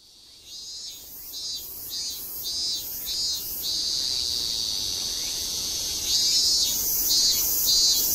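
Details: Japanese cicadas recorded in Tokyo in September 2012 sing a shrill, high buzz broken into pulsing bursts about twice a second; the pictured cicada is old.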